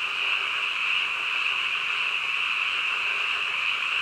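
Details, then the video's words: Midnight frog chorus, many callers merging into a constant shrill buzzing wall of sound that holds level from start to end, nothing else standing out. "한밤중 개구리 울음소리"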